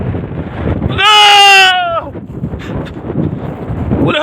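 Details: Sheep during a wolf attack giving one loud, wavering, nasal bleat about a second long, with Turkish talk and background noise before and after.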